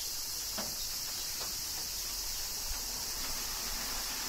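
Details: Summer rain in Kyoto, Japan, with cicadas keeping up a dense, even high-pitched whine; soft drip sounds and a faint low murmur run beneath.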